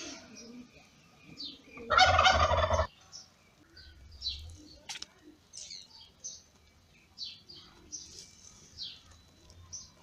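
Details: Lady Ginger's newborn kittens, born in May, cry while nursing from their mother: a single loud, rough, drawn-out squall near the two-second mark, then many faint, short, high squeaks scattered across the rest.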